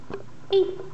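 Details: Four-week-old kitten, one of a pair (striped Tiger Lily and black-and-white Alice), at home just after their first vet visit, lets out one short tonal squeak, a brief high note, in a quiet small room with soft voices nearby.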